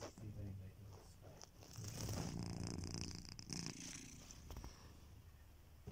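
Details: Sleeping pet cat, a male, giving steady low rumbling snores, a purr-like buzz rising into a louder raspy breath midway before easing back down, quiet indoor background.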